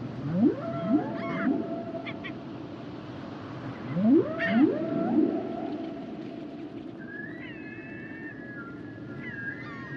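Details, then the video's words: Humpback whale song: two sets of three loud rising whoops with harmonic overtones about four seconds apart, followed by higher wavering whistles and squeals toward the end, over low sea rumble. "Sounds and Songs Of The Humpback Whales"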